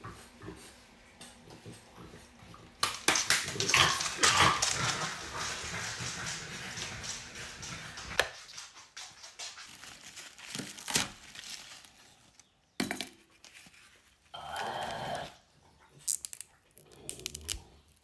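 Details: French Bulldog begging with pleading eyes; irregular bursts of rough, breathy noise and snuffling, then short tonal whimpers and whines in the closing seconds, separated by brief pauses.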